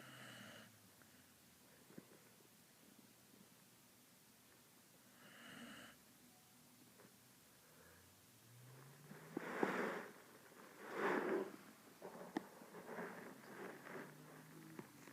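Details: AU, a female puppy, snoring while she sleeps: quiet, breathy rasping snores in irregular bursts, louder and rougher toward the end, in a hushed indoor room.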